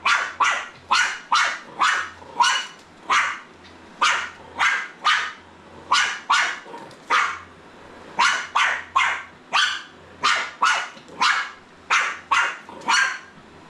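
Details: Jack Russell Terrier puppy barking at a Roomba robot vacuum: an unbroken string of high, sharp yaps, about two per second, evenly paced, over a faint humming motor.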